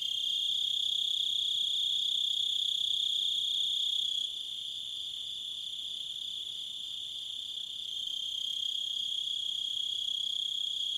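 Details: Crickets in a natural setting, a steady high trilling chorus that drops in loudness and shifts slightly after about four seconds, then rises again near the eighth second, with no other clear sounds.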